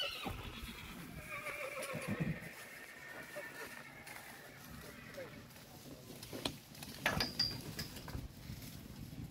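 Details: Arabian horse whinnying: a drawn-out, falling neigh across the first two seconds, followed by scattered clatter and faint voices in the background.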